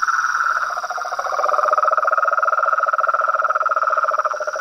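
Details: Toads, frogs and tree frogs calling in nature: two dense pulsed trills run together throughout, a higher buzzy one and a lower rattling one, rapid and continuous, over a steady high insect hum.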